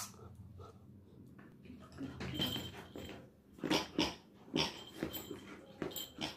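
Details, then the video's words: Labrador Retriever puppy, described as angry, indoors: low rough growling bursts and snarling yaps coming in uneven clusters, with scuffling and handling noises between them. "Angry puppy labrador dog"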